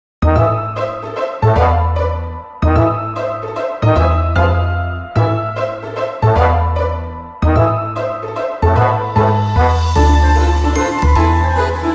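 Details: Loud upbeat music with a repeating beat and bright melody throughout, and no animal sounds.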